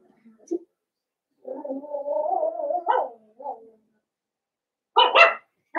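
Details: Blenheim Cavalier King Charles Spaniel puppies, five siblings born to Paris and Spike at New Year's, inside their pen: a low wavering moan, then two sharp, loud yips near the end.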